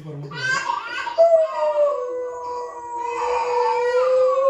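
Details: A Doberman gives a long, steady, mournful howl, joining in and seemingly confused while reacting to a compilation of dogs howling on TV.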